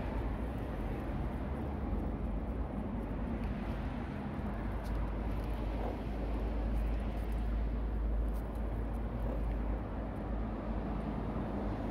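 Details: Steady low rumble of passing vehicles and outdoor background noise, with no animal voice audible.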